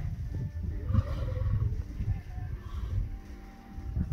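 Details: Male lion named Casanova courting lionesses at Taigan lion safari park in Crimea; deep, rumbling low growls come in uneven pulses across about four seconds, rising and falling in loudness, with a faint tonal sound layered above.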